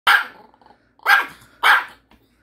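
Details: Pet dog barking to scold its owner for not sharing a Korean melon; three sharp, loud barks about half a second apart, with the owner talking in between.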